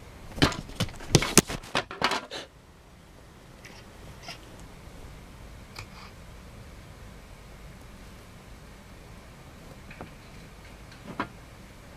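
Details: Sharp knocks and clatter indoors for two seconds, then near silence with a few faint taps. No clear animal voice can be picked out.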